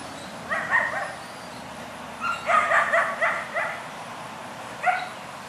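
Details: A Rottweiler fighting a neighbour's dog on its property gives short, harsh barks in quick clusters, with brief pauses between bursts, amid the other dog's crying.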